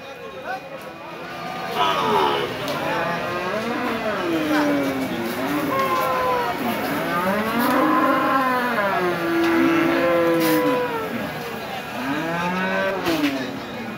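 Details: Cattle at the Hazratpur cattle and goat market in Keraniganj, Dhaka, Bangladesh, held every Saturday, where big bulls are unloaded. Several overlapping arched, harmonic moos rise and fall through a busy background of vehicles and a man talking.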